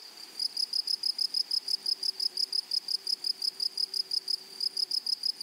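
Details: Grasshopper in a flowery meadow, giving a steady run of short, high, tonal chirps, about three each second, with a faint higher overtone and a soft hiss of background noise.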